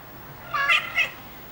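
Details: Ocicat kittens, three weeks old, giving two short, high mews in quick succession. The second is briefer and slightly higher, and both rise then fall. The room is otherwise quiet.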